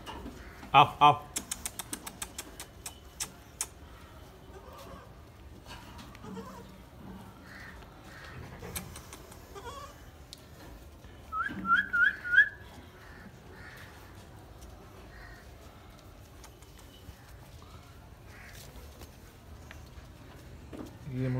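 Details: Newborn Gulabi goat kids at Nagra Farm, with a short burst of high, wavering bleats near the middle, earlier sharp clicking sounds, and a quiet background with a man speaking Hindi.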